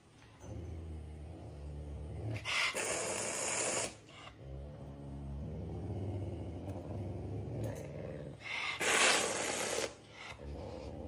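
A hungry caracal growls low and rough, breaking twice into loud, breathy hisses.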